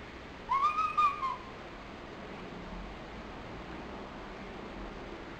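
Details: Pochi, a lonely nine-month-old pet dog, cries in February 2007: one short high whine with a wavering arched tone lasting under a second, followed by quiet room noise.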